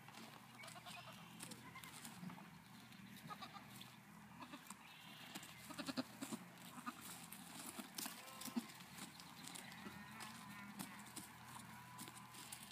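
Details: Young Nigerian Dwarf goat kids bleat in short, wavering, nasal calls amid steady background noise, on a farm in Wapato, Washington, on 5/8/17.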